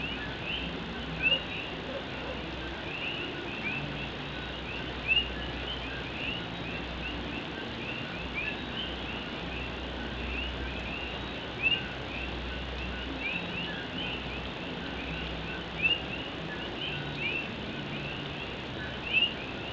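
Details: Puerto Rican coqui frogs calling during night rain on an old tin roof at Morovis, Puerto Rico; a steady hiss of rain carries many faint short rising chirps, with a louder clear note standing out roughly every four seconds.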